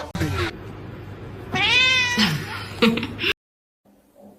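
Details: Cat meowing indoors: a short noisy opening, then a drawn-out harmonic meow that rises and falls, followed by a few brief, clipped sounds before silence.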